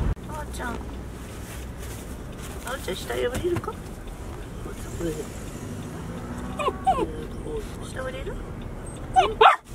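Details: Golden Retriever puppies, 72 days old, six in the litter at Ain Village, filmed 6 July 2018; short, sharp yips and barks in scattered bursts, with a person talking throughout and a louder bark near the end.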